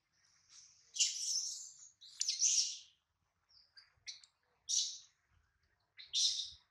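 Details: Hungry baby monkey named Adler, missing his mom and held by a small monkey, gives a series of piercing high-pitched cries, some drawn out and some short, with brief silent gaps between them.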